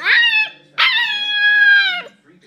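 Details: Goose, a nine-week-old Siberian Husky puppy watching footage of himself, lets out a sharp yip and then a clear, level howl held for over a second before sliding down, loud and close.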